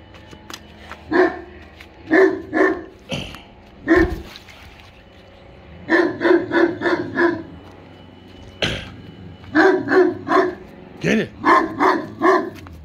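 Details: English Mastiff and German Shepherd mix dog barking at a pool blow-up toy; deep barks in rapid bursts of three to six, with short pauses between volleys and a few sharper yelps.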